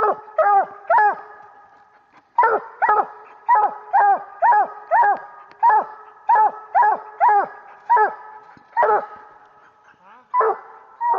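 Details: Coonhound pup, a year old, out of BuckWheat Reba and Duke, baying up a tree at a raccoon during a coon hunt: rapid chopping barks, some doubled, about two per second with a short pause, over a faint hum.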